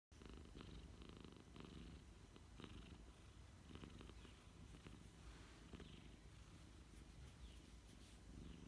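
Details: A domestic cat purring during an afternoon nap: a steady, low rumbling purr that runs without pause through the whole stretch, with soft faint rustles above it in a quiet room.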